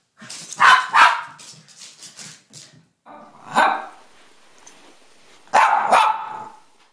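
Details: Corgi and another dog at play, giving loud bursts of sharp barks, then a short pause with soft huffs and another bark, ending in a final cluster of barks and yips.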